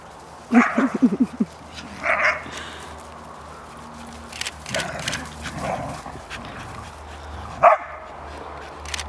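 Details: Three dogs at play, one putting the two younger ones in their place after long teasing; short harsh yelps in a quick burst near the start, another at two seconds and a sharp one near the end, over low room noise.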